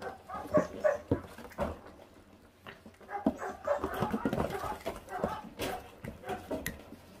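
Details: Five 28-day-old feral puppy siblings, tearing raw meat down to the bone, give scattered short yaps and gruff little barks at irregular intervals, mixed with chewing noises and a human voice talking nearby.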